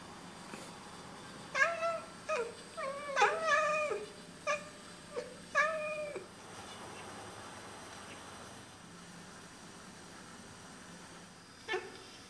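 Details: Two Oriental Siamese cats indoors chatter at birds: a quick, uneven burst of short, clipped, tonal chirping mews, each bending slightly in pitch, then after a quiet stretch one more chirp against a faint indoor hush.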